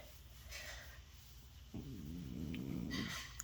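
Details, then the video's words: A male French Bulldog getting scratches and belly rubs lets out his happy sound: a drawn-out, wavering, nasal groan lasting over a second, after a quiet start with a person talking softly. "The French Bulldog gets pets rolls over makes happy sound"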